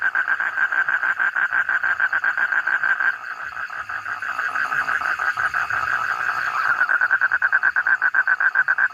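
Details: Toad calling in a rapid series of short pulsed notes around a mid-pitched band, dense at first, briefly softer and more broken in the middle, then strong regular pulses again toward the end.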